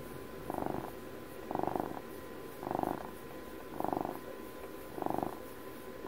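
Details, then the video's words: Close, clear purr from a twelve-year-old house cat, five strong vibrating bursts about a second apart, alternating with quieter breath-in gaps, over a light steady hum. "ASMR CAT PURRS"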